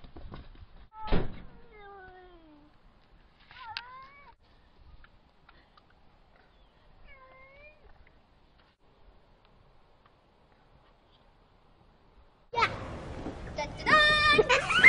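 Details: A domestic cat in a home gives a few short meows, each a falling, wavering tone with clear harmonics, spaced over several seconds of quiet; toward the end a burst of household clatter and a rapid series of rattling clicks.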